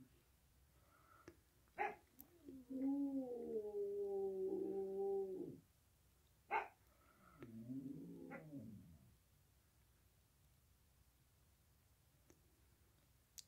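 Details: An 8-year-old American Bulldog howls like a coyote for the first time its owner has heard: a steady howl of about three seconds, a pause, then a shorter wavering howl that trails off.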